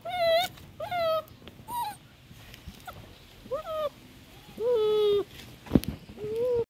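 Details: An afraid dachshund puppy suckling with its mother gives lower, drawn-out whines, some held nearly a second, spaced irregularly with quiet gaps and a brief knock.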